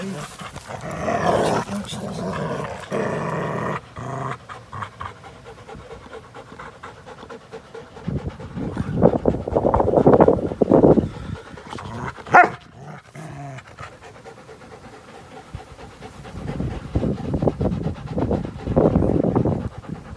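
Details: American Pit Bull Terrier and Belgian Malinois cross playing together, recorded April 21, 2019; irregular bursts of heavy, breathy panting rise and fall, with scuffling noise between the louder bouts.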